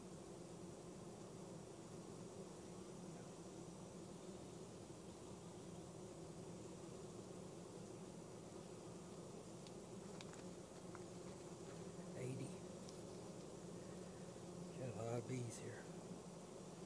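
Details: A dense, steady hum of many honey bees droning together at an open hive of a colony caught from a backyard swarm in Ohio.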